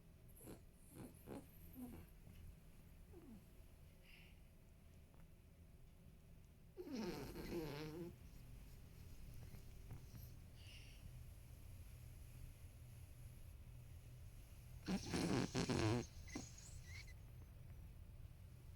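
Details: Marron, a 13-year-old male apricot-to-gold toy poodle, asleep indoors behind someone editing at a computer. Two loud, rough, rasping snore bursts around seven and fifteen seconds, with a low hum and quiet room noise between them.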